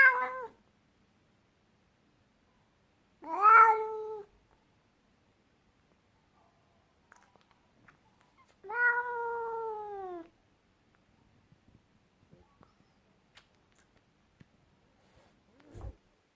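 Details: Three spaced, moderately loud meows from an angry cat indoors, each a harsh cry that peaks and then droops downward, separated by long quiet pauses with faint small rustles.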